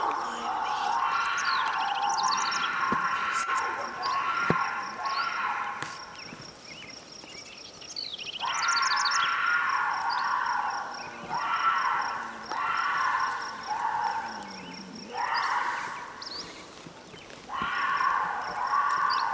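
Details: Mountain lion making the raucous noise called one of the scariest things to hear in the woods: long, hoarse, wavering screams repeated every few seconds, with steady high insect chirping and outdoor background noise between them.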